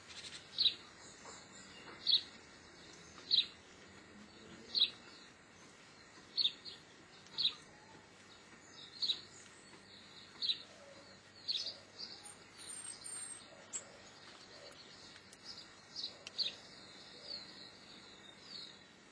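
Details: Repeated piercing chirps from a Geoffroy's marmoset, about a dozen sharp high notes at irregular one-to-two-second gaps, with a brief thin higher whistle near the thirteenth second and faint background hiss.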